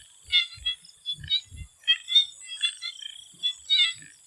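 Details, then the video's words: Frogs in a Thai swamp before sunset call in a busy chorus of brief, reedy croaks that overlap irregularly. A constant high-pitched insect drone runs beneath them, with a few low thumps. "The Relaxing sound of swamp frogs"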